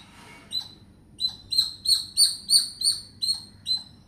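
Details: Communicating squirrel giving high, piercing squeaks: after a quiet start, clipped chirps begin and quickly build into a loud, rhythmic series of about three per second, then ease off slightly.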